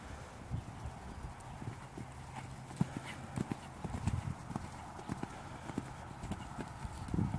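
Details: Hoofbeats of a Dutch Warmblood horse, a busy run of short knocking thuds and clacks, some louder and sharper than others, set against constant low background hum.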